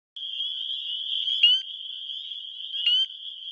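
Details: Male spring peepers calling for mates in Wisconsin spring, recorded on a phone: a dense, continuous high chorus with two louder, sharp upslurred peeps standing out near one and a half and three seconds.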